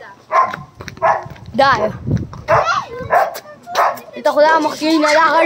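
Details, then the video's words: Angry dogs in a fight: sharp barks mixed with rising and falling harmonic yelps and whines, roughly one to two per second, with human voices talking nearby. "Angry Dogs barking | Dogs barking sounds | Dog Fight"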